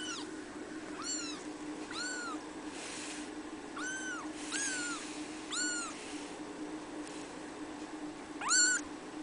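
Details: Three-week-old red female Abyssinian kitten at a cattery, giving high thin mews about once a second, each a short arched whine with bright overtones, steady low hum in the background.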